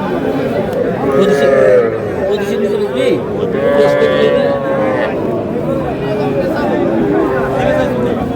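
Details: Young bull and heifer calves at a cattle market in Madaripur, Bangladesh, on 17 February 2026; drawn-out harmonic moos rise through constant crowd chatter and bargaining voices, with the busy market din filling the background throughout.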